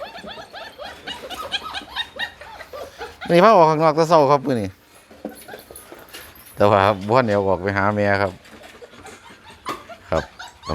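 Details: Hungry Pit Bull puppies whine in two loud, wavering, harmonic cries of about one and a half seconds each, with shorter high whimpers around them. Human voices and laughter come and go.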